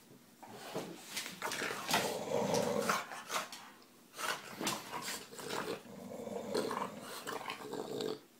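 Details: English Bulldog Nugget, a female pet, growling while chewing on her owner's toes: rough, throaty growls in uneven bursts of a second or two with short breaks, dipping quieter near the middle.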